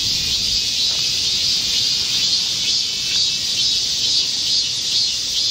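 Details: A dense chorus of Korean cicadas drones in a continuous high-pitched buzz that swells and eases in gentle waves, in a green Seoul (Gocheok-dong) forest during a midsummer heatwave, 25 July 2024.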